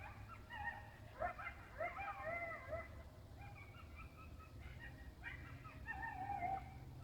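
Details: Coyotes making noise in a field: a busy chorus of warbling yips and quavering, bending howls overlapping from several animals, with a steady low rumble beneath.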